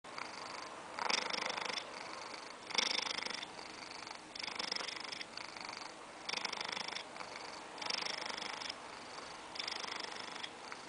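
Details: A 14-year-old male Siamese cat purrs close up in a steady, rasping rhythm, each breath making a throbbing burst.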